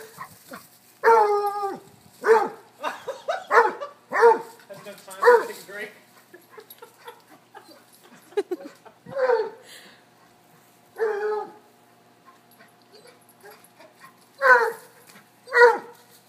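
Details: Cocker-hound, Basset hound and corgi chase each other in play; six quick resonant barks open, followed by sparse barks with long silences and a final pair of loud barks.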